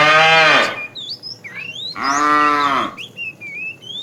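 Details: Two full, rich moos from a fat cow calling the female while a tame herd is herded in the afternoon. The first is short and the second longer, with bright bird chirps and whistles in the gaps.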